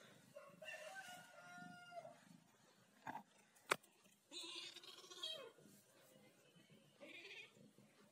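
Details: Ginger cat talking, giving a run of varied chirping meows that slide up and down in pitch, the longest around a second, with sharp clicks and knocks between calls.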